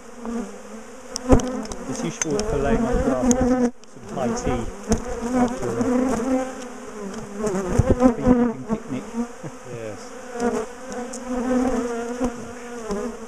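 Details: Bees of a large top bar hive colony with a habit of ambushing and chasing their owners, during splitting and removal; a dense continuous hum with many overlapping close fly-by buzzes and a brief break near four seconds.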